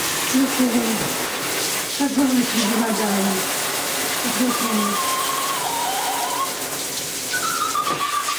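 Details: Lhasa Apso named Jesse crying while being bathed indoors: thin, wavering whines that slide downward, some low and some higher-pitched, repeated in short bursts over a steady hiss of running water.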